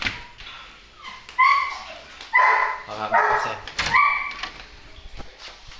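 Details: Belgian Malinois described as aggressive: a few loud, sharp barks and yelps with bright harmonic bands, irregular and spaced about a second apart, over background noise and faint speech.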